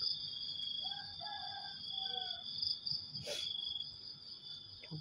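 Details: Crickets in the dark early morning keep up an unbroken high-pitched ringing drone. A woman speaks briefly, and a sharp clatter lands midway.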